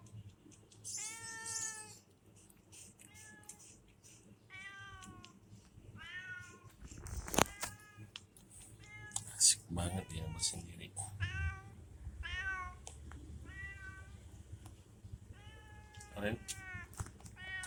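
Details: Loren, a cat sitting at a warung (small shop), keeps up a rapid run of about a dozen short meows. A person talks to the cat and there are a few knocks.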